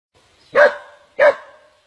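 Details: Dog caught in the coils of a giant snake and later surviving; two sharp, strained barks about three quarters of a second apart, with a quiet background.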